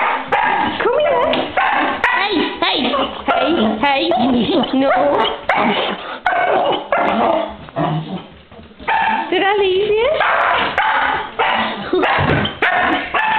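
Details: Female pet dog greeting her owner indoors after being left alone for an hour: excited, wavering whines and howl-like yodels that rise and fall, nearly continuous, mixed with occasional barks and the owner talking to her.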